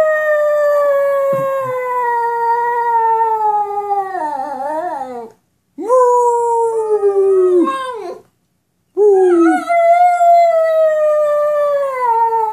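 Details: Talkative pet dog responding to its owner in three long, mournful whine-howls, each slowly falling in pitch and ending in a wavering, broken slide downward, with brief pauses between.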